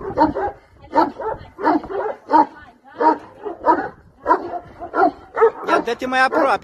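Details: Bucovina Shepherd dog giving a run of loud, gruff barks at an uneven pace, ending with a person speaking close by.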